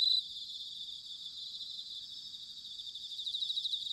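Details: Bell crickets singing in autumn, recorded in Sanuki, Chiba, Japan: a dense, high, ringing band of overlapping pulsed trills from several insects, with a brief louder burst at the start and faint low rumble beneath.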